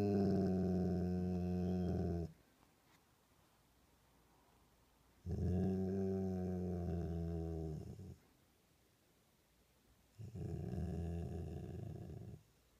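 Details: Pet dog indoors giving low, steady rumbling growls, three long bouts of about three seconds each separated by quiet gaps.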